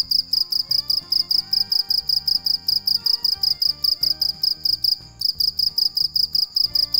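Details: Cricket singing at night, giving bright, piercing chirps repeated evenly a little over twice per second with one brief pause, and gentle music in the background.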